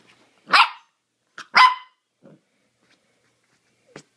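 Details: Mini dachshund puppy barking while playing wildly indoors: two sharp, high, rasping yaps about a second apart, then a soft low grunt and a tiny squeak near the end.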